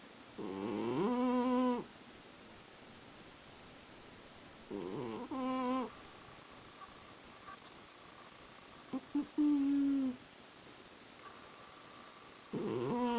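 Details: Cat snoring in its sleep, voiced buzzy snores roughly every four seconds, each about a second long, some shorter and broken, with a faint steady background hum between breaths.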